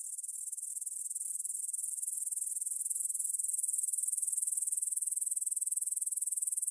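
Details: High, sizzling stridulation from many grasshoppers in a meadow beside Svensky Monastery, Bryansk, Russia, recorded on a Tascam DR-44WL at 9 pm on 6 September 2020; the rapid pulsed chirring swells gradually louder and stays continuous.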